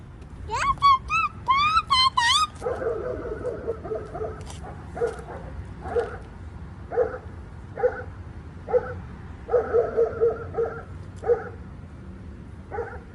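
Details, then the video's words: Pet dogs 'singing' at home while a 15-month-old child dances, around Christmas: a quick run of high, rising-falling whining yips, then short barks repeating irregularly about every second, with faint background noise. "dogs singing"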